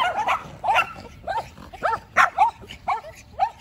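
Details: Macy the Yorkshire Terrier, anxious to out-bark two neighbour dogs, gives a steady run of short, shrill yips roughly every third of a second.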